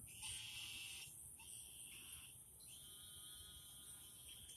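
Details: At night in a garden, a crowd of loud frogs gives rapid, reedy, harmonic croaks that overlap and run into one another almost without pause, with a constant high hiss behind them.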